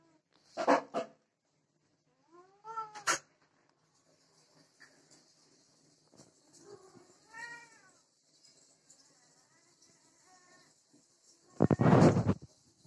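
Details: A Desi cat and a Persian cat give drawn-out, wavering yowls and meows while mating, with a person talking and sharp knocks.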